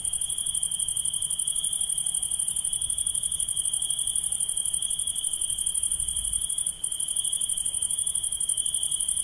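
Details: Insects calling at night, producing a constant piercing trill of fast pulses with a thinner, higher shimmer above it. The sound keeps an even loudness, with only a brief dip partway through, over soft low rumble.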